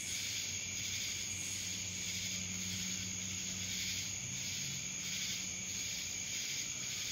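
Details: Cicadas in Dallas, Georgia: a dense, steady high-pitched buzzing drone that swells and fades in soft pulses about every second, with a faint low hum underneath.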